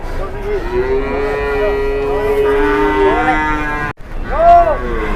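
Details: Huge cow being loaded with people pushing it, letting out one long, steady low moo that bends upward at the end, followed by a shorter, higher moo.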